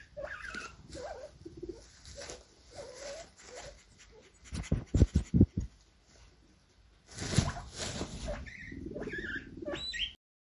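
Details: Guinea pig (Cavia porcellus), squeaks.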